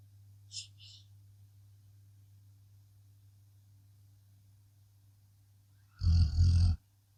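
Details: Sleeping blue Akita Inu: a steady low hum fills most of the stretch, with a tiny soft click early on, before one loud, coarse snoring rumble near the end.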